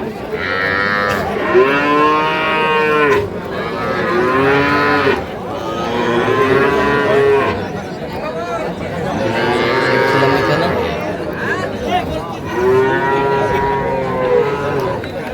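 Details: Sahiwal calves and cattle at a livestock market in Pabna, Bangladesh, 12 May 2025; four long, resonant moos, each lasting about two seconds and spaced roughly every four seconds, with market crowd noise throughout.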